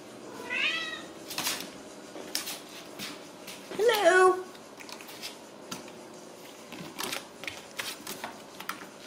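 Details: Ragdoll kitten in a central Kansas home cattery meows once, then gives a louder, lower wavering cry mid-clip amid tapping, clicking and rustling household noises.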